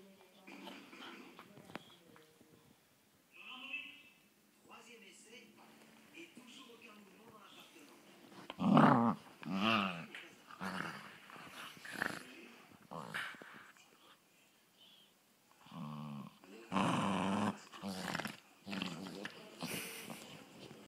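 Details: Several Scottish Terriers fighting, giving rough, throaty growls and snarls in loud bursts around eight to ten seconds and again near seventeen seconds, with quieter whimpering between and people talking throughout.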